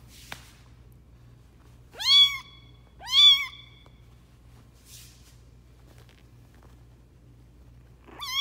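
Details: Foster kitten Lucy, a runt whose mother slapped and hissed at her when she tried to nurse, lets out two loud, upward-sweeping mews close together, then a softer sound and a final rising meow, over a low electrical hum.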